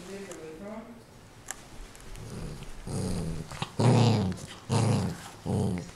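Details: Pet dog growls possessively over a new toy indoors; low rumbling growl bursts repeated roughly every second in the second half, with a person's voice murmuring early on.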